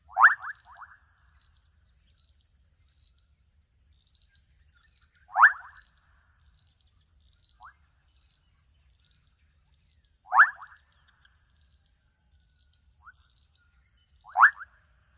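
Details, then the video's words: Adolescent frogs in a wetland in Kenya repeat short pulsed, rising rattles roughly every four to five seconds, four loud ones with soft single chirps in between. A steady shrill tone and low background rumble continue throughout. "Adolescent frogs calling out in Kenyan wetland"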